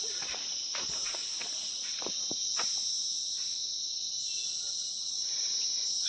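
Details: Insects in a hilly mountain forest by a road near Gangtok give a steady, shrill, high-pitched drone that holds without pause, with footsteps of someone walking underneath.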